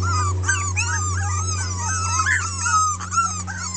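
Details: Six red Miniature Pinscher girls, a 2013 litter, protesting after a taste of freedom: continuous overlapping whines and squeals from several puppies, slurring up and down, over a steady low electrical hum.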